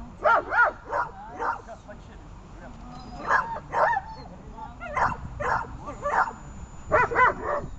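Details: German Shepherd barking during protection training: short sharp barks in pairs and small groups with gaps of about a second, a person speaking quietly in the background.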